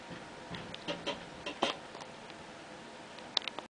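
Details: Pet cat chittering indoors as a young kitten: a string of quick staccato clicks and chirps in irregular bursts, some sharper peaks near the end, in a quiet small room.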